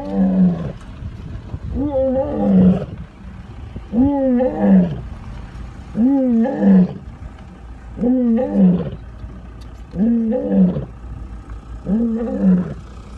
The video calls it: lions roaring wow 😳😳😳😳😲😲😲